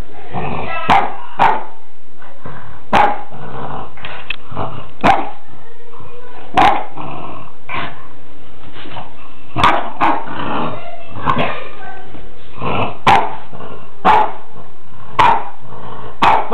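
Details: A French Bulldog barks at a black balloon, the one thing he fears, in Portici: loud, abrupt barks every second or two in uneven single or doubled clusters, broken by rumbling growls and huffs over a quiet background.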